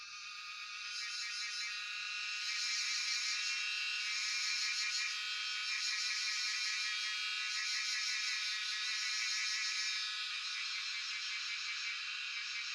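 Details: Cicada chorus (Jhyaukiri) in Shivapuri National Park, Tarkeshwor, cellphone recording: a rising, intense high-pitched buzzing that grows louder in the first three seconds, then pulses with wavering, throbbing bands before easing slightly.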